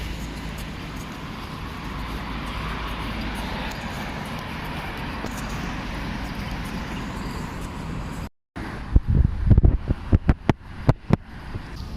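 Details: Outdoor street noise with steady wind buffeting the microphone and passing car traffic, followed by a brief cut and scattered knocks and handling sounds, while walking a Schnauzer outside; no barking heard.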